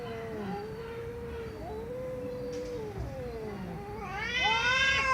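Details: Domestic cat meowing loudly: long drawn, wavering low moans that rise into a louder, strained, higher yowl near the end; quiet room background.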